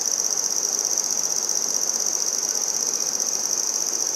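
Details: Singing handsome trig, also called red-headed bush cricket, recorded in Maynard, Massachusetts, September 14, 2019; a fast, shrill, continuous trill at a fixed high pitch over soft broadband background noise.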